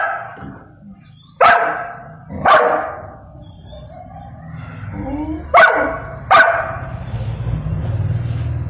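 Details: A little male Golden Retriever throws an angry tantrum, protesting at not being allowed to eat before his owner gives the order. Four sharp, loud barks come in two pairs, with soft whining between them.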